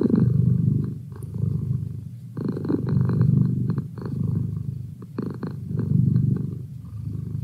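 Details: Low, throaty purring from Merlin, a house cat, pulsing in slow cycles of loud and soft as he breathes in and out, with faint clicks over the rumble.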